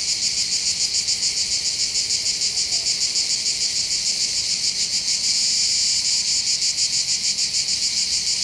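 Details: Cicadas in full chorus on the heights overlooking Bandol harbour, Var, Côte d'Azur, southern France, during summer holidays: an unbroken piercing high-pitched drone, finely pulsed and steady in loudness from start to end.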